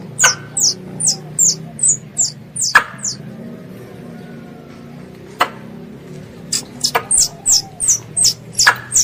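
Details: Pest squirrel calling its mother: bursts of sharp, very high chirps repeated about three per second, a pause with only scattered clicks in the middle, then the rapid chirp series resumes; faint low hum underneath.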